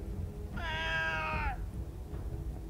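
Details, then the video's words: Cat giving a single drawn-out, strongly harmonic meow lasting about a second, steady then sliding down at the end, indoors with a person speaking just before and after. "BI-POLAR CAT"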